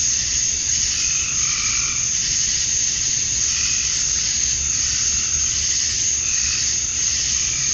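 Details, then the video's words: Male cicadas in Georgia, USA, singing to attract females as a summer night falls: an even, piercing electric buzz fills the air, with a few brief pulsed calls of lower pitch early and late. "Cicadas at Dusk, Summer Night"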